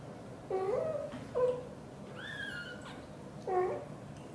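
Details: Mother cat Xaxa, a blue golden British Shorthair, chatting with her tiny kitten Piano indoors; brief chirping meows, one long higher drawn-out mew in the middle, then another short chirp.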